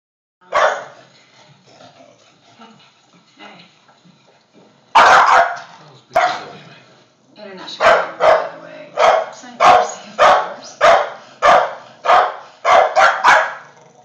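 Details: Two bully dogs in a bark-off over a squeak toy: a few scattered barks at first, then a rapid string of about a dozen loud, sharp barks, nearly two each second.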